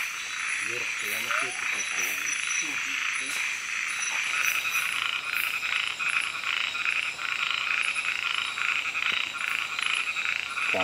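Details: Frogs at night in Kubah National Park: a steady run of rapid, pulsed croaks in the middle range over a dense high insect chorus, with low murmuring human voices underneath early on.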